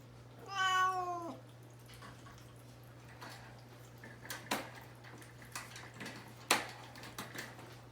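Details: Mame Daifuku, a male cat confined in a cage and fasting from food and water before neutering, gives one long, clear, harmonic meow lasting about a second. It bends downward at the end and is followed by scattered clicks and taps in a small room.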